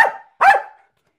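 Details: Two quick barks from a Jack Russell terrier performing tricks, spaced about half a second apart and clipped at the end; the trainer praises the dog and asks it to sit quietly.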